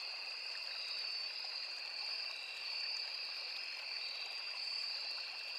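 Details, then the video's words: A continuous insect chorus of crickets near a small forest river: shrill, even trilling held throughout, with a slight pulsing swell and a gurgling stream in the background. "Crickets, Cicadas, Insects | 9 hours Nature Sound"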